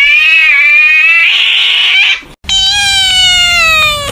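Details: Annoyed house cat lets out sustained, even-pitched yowls. A rough hissing burst comes in the middle, and after a short silence a clear wailing cry slowly sinks in pitch.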